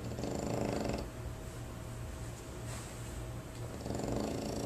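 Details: French Bulldog snoring at a board-and-train dog training facility: two rough, breathy rasping bursts, one at the start and one near the end, with quieter steady breathing and a low room hum between them.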